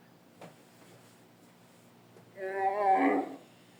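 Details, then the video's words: Dromedary camel in the Sahara, 2017: after near silence, a single harmonic, slightly wavering moan lasting about one second, with a faint click early on. "Dromedary camels (Sahara 2017) Sound-effects."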